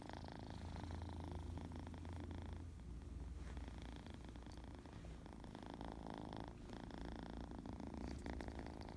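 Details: A kitten in a happy, playful mood purrs continuously, a thick low rumble pulsing rapidly with inhale and exhale, fairly even in loudness throughout, with faint higher rustles.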